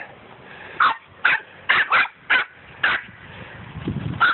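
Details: A poodle barks during ball play with boys outdoors: sharp, bright yaps repeated about eight times in four seconds at uneven intervals, with a person's voice asking to throw the ball and calling the dog between barks.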